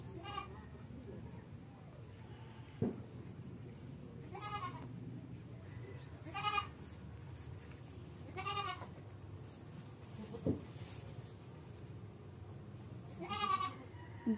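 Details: Goat with an infected navel and stiffening legs. Five short, wavering, harmonic bleats come at irregular gaps of two to four seconds, with people talking quietly nearby and a couple of sharp knocks.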